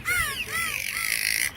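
Spotted dolphin giving arching, rising-and-falling whistles over a hiss of rapid clicks.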